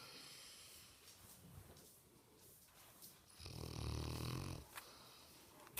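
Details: Sleeping Mastiff snoring: one loud, low, rough rumbling breath near the middle, with quieter breathing and faint rustling around it.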